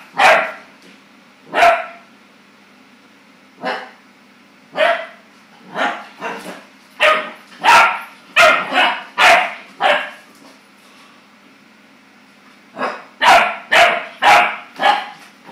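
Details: Clumber Spaniel puppy startled by his own reflection, barking in clustered volleys of rapid yappy barks, separated by a quiet pause near the middle, over a faint steady hum.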